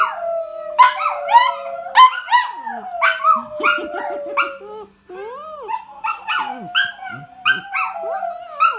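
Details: Two dogs, a Sheltie and a Dachshund, howl together, long wavering tones overlapping with higher yelping yips.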